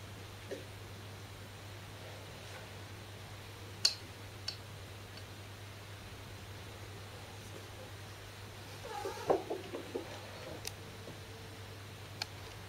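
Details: Momo, a kitten under one year old, indoors, lets out strange cries while dashing to fetch a thrown ball made from the shed fur of the household's older cat, Chicchi. A short burst of brief, soft cries comes late, amid scattered clicks, thumps and a steady low hum.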